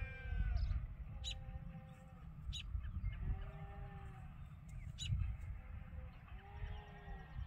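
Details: Flock of sheep at Ewetopia Farms on a morning when they pile up waiting to go out to pasture. Several faint overlapping bleats, some drawn-out and level, others short, over a steady low rumble with occasional clicks.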